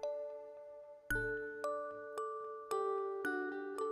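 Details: Gentle chime or glockenspiel tones sound every half second to second, each ringing on and slowly fading. No animal voice can be picked out beneath the music.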